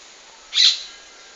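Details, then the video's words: Threatened praying mantis giving a single brief, breathy hiss, high-pitched and airy, lasting about a quarter second against a quiet background. "Mantis Makes Sounds when Threatened"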